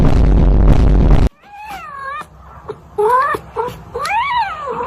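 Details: Cat in a funny pet compilation gives several short meows, the last one rising and falling, after a burst of loud crashing noise at the start.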